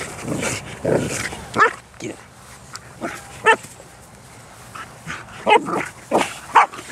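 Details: Bernese Mountain Dog, 11 months old, playing with other dogs at a dog park; short yelping barks and play vocalisations come in scattered bursts over steady outdoor background noise.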